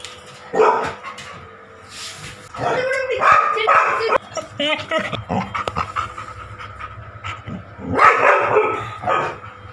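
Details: A Labrador Retriever barks at her own reflection: loud, hoarse barks in short irregular bursts with long pauses, music playing.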